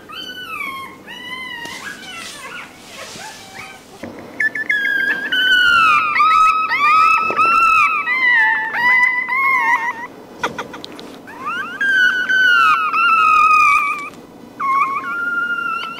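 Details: Puppy crying, used to attract dogs' attention; overlapping high, wavering whines and yelps, several voices at once, with rising and falling pitch and a short quieter break in the middle.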